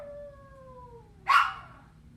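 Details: Puppy left alone gives a long, thin whine sliding slowly downward, then breaks into one sharp, loud yelp before falling quiet, with a faint hum underneath.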